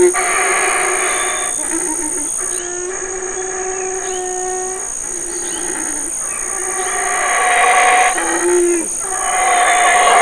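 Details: Wild black howler monkey, a large male, calling while his family eats fig leaves and fruit in the Community Baboon Sanctuary, Burrell Boom, Belize. Deep, rough, harmonic roars rise and fall in long surges over a steady high insect whine.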